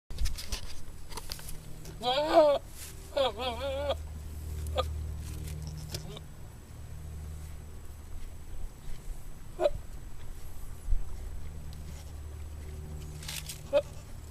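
A billy goat gives two quavering, wavering bleats early on, then low rumbling background noise takes over.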